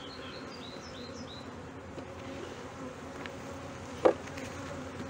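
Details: Honey bees in Brno, 2022, at a colony with a chewed-open inserted queen cell. A soft continuous low hum, with short high bird chirps early on and a sharp knock around four seconds.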